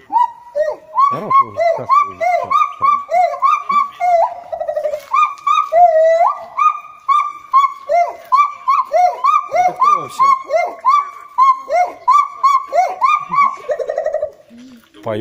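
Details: A gibbon, apparently kept alone in a cage at a monkey temple in Thailand, sings a fast series of loud, clear hooting notes that rise and fall, about three each second, described as crying.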